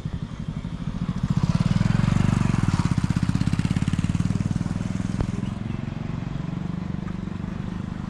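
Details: A vehicle engine throbs and revs, swelling in loudness before settling back to a steady idle, with no animal voice heard.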